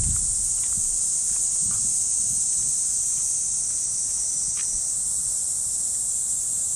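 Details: Japanese park in early summer morning, cicadas filling the trees with a steady, piercing, uninterrupted drone, accompanied by soft irregular footsteps and rustling on the walking path.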